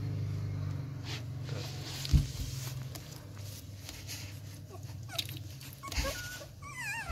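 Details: Hungry Rottweiler pups, eleven days old and fed with extra milk because the mother runs short, suck at anything before mealtime: soft smacking clicks over a low room hum, then thin rising and falling whimpers near the end.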